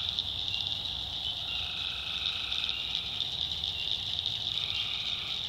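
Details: Tree frogs in a North Carolina backwoods swamp at night keep up a constant high trilling chorus, with overlapping lower droning calls that start and stop. Soft crackling adds to the background.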